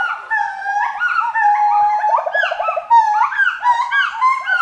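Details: Forest monkey voices overlapping in a dense chorus of swooping, whistled hoots, with rising and falling notes tumbling over one another continuously.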